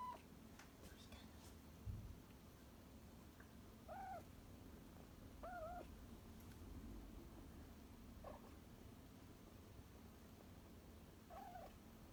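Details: Rescued house cat indoors, one of a pair of rescued cats: soft, brief meows, some with a downward bend, scattered every one to three seconds over a low steady room hum.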